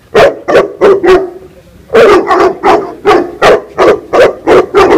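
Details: Female Tibetan Mastiff in attack mode, barking steadily and loudly: deep, forceful barks repeated about three per second, a short break after four, then a longer unbroken series.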